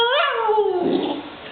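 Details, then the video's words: Female Siberian Husky puppy crying as her owner calls her a crybaby; a single whine rises briefly, then slides down steadily into a low, fading moan. "Husky puppy cries when called a crybaby"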